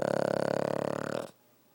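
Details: Six-year-old Pug Jake asleep and snoring, one vibrating, throaty rattle already sounding at the start that trails off and dips in pitch after about a second, then silence.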